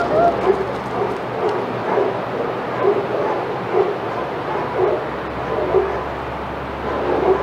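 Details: Excited senior dogs at Old Friends Senior Dog Sanctuary, watched on the outdoor yard cam as Titus walks by, give short, muffled barks about once a second over a low background hum.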